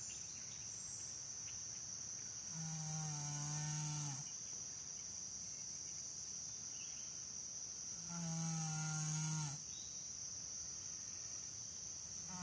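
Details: Janie the Saddlebred horse snoring in her sleep, two long nasal humming snores about six seconds apart, each slightly wavering, with a continuous high-pitched cricket chorus throughout.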